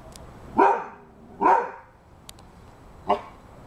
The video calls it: Rhodesian Ridgeback dog barking